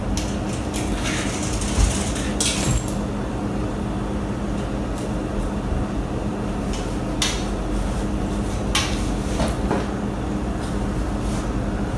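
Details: Steady room rumble broken by scattered clinks and clatters like dishes and cupboards being handled, with no animal voice.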